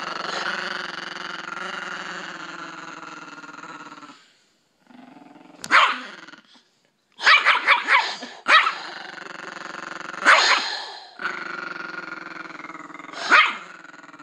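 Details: Anubis, a pet Chihuahua, growling while protecting his owner from her husband: long rumbling growls broken by short sharp snarling barks, with brief quiet gaps between bursts.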